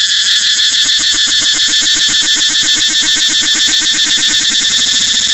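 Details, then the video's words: Shrill cicada chorus, an unbroken high buzz throbbing with fast regular pulses, several beats per second, steady and loud throughout. "cicada เสียงจั๊กจั่น"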